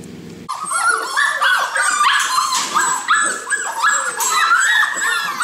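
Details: Golden Retriever puppies in a group, a crowd of young dogs calling at once: dense overlapping high yips, whines and squeals, many short rising and falling notes layered continuously after a brief quieter opening.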